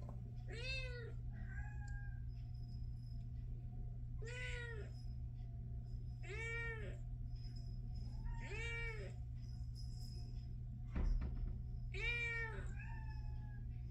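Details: Domestic Shorthair cat awaiting adoption, recorded 14 August 2024 in the early morning, meowing repeatedly: five long, wavering meows roughly every two seconds plus a softer short mew, against a constant low electrical hum and one brief knock.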